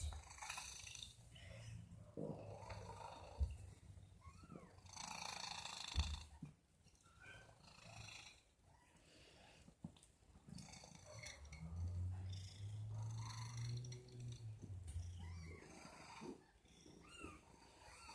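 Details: Domestic cat making odd noises: a low rumbling purr swells in the second half, with scattered faint chirps and rustling before it.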